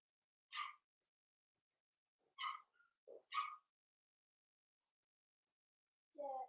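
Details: Four-week-old Cavalier King Charles Spaniel puppies from Daisy's litter in their indoor pen give four short, bright, high-pitched yelps spaced unevenly over several seconds, with a lower squeak at the end and quiet gaps between.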